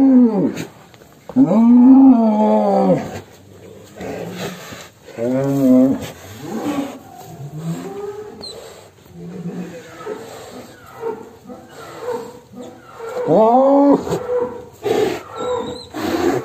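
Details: Damar Wulan, a cow leaving its pen, gives several arching, harmonic lowing calls near the start, middle and end, separated by a jumble of quieter voices and crowd noise.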